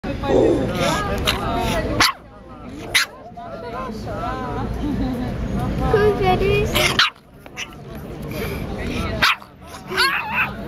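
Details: An angry pug, described as talkative, making wavering, moaning grumbles and growls in uneven bursts with short pauses, while a person speaks over much of it.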